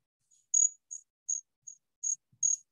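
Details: A Columbian trig, a cricket, sings high, pure, musical, tinkling chirps, each brief burst repeated about every half second.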